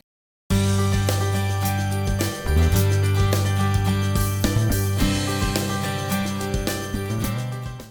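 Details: Only music plays, a steady jingle with strong bass and percussive hits, and no animal voice is heard. The beat continues throughout without pause.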